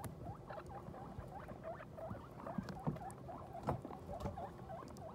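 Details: Guinea pig after giving birth, with New Year's babies; a rapid run of short, clear squeaks, several per second, some bending upward, with a few louder rustling knocks in between.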